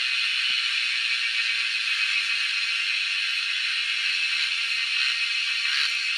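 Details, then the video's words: Cicadas calling in the wild during a cicada hunt: a dense, continuous high-pitched hiss-like buzz that holds an even level throughout, with a faint tap near the start. "Hunting cicadas || Making crazy noise in the wild yet drawing our eyes to catch them."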